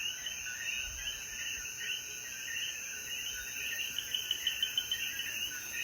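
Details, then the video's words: Coquíes in the Puerto Rican mountains of Jayuya, heard after the rain at dusk, keep up a thick chorus of rapid chirps, backed by a steady high-pitched insect drone and a few faint low bumps. "Atardecer Después de la Lluvia • Sonidos de Coquí"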